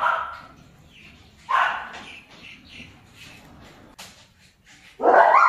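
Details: A few isolated high barks from German Shepherd pups at a kennel, one early, one mid-way and a loud burst at the end, with long stretches of near quiet between.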